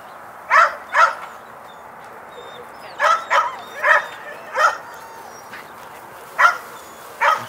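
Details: Border Collie at a herding clinic barking in short bursts, paired barks then single ones spaced about a second apart, with quiet gaps and faint birdsong in the background.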